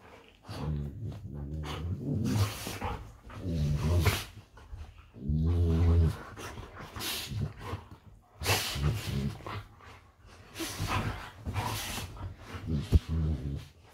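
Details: Golden Retrievers play fighting in bed: deep rumbling growls and grumbles in repeated bursts, with rustling bedding, panting and scuffling throughout, and a woman's voice nearby.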